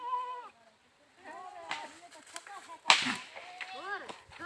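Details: Goats bleating in a series of short, wavering, nasal calls, with a sharp crack near the middle and more bleats toward the end.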